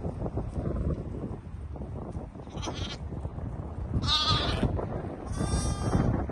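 A sheep gives a few wavering, nasal bleats over a steady low rumble.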